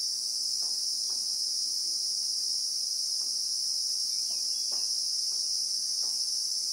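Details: Real-time recording from the South African bushveld of Christmas beetles (Anoplognathus): a loud, even, piercing high drone that never breaks, with scattered faint ticks in the background.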